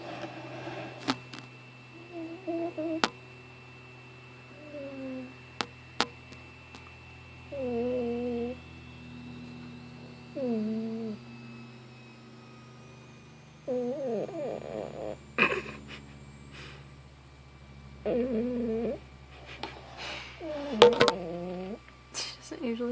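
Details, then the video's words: Weebo, a sleeping female cat indoors, which she does not usually do this way, possibly dreaming: about eight short wavering, warbling moans spaced a few seconds apart, over a steady low room hum and occasional clicks. "Snoring cat"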